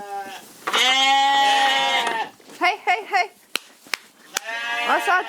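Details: Corriedale sheep on a Canadian farm, bleating at grain feeding time: one long, steady, harmonic bleat, then shorter quavering bleats from several animals, sharp knocks and clicks, and a final wavering bleat.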